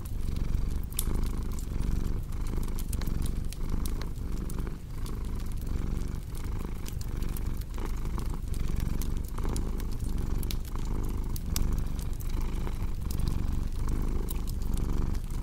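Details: Contented cat purring in a soft, low vibration that throbs with regular breaths, while a crackling fireplace snaps and pops in the background.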